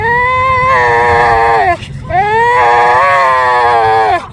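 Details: Dog making a weird crying sound in a car: two long, drawn-out, nasal wails, each held over a second and sliding down at the end, with a short break between, over low road rumble.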